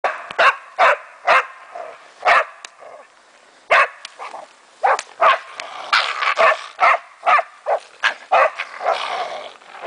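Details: A German Wachtelhund barks in sharp, excited bursts with brief pauses between volleys while having fun with a raccoon dog.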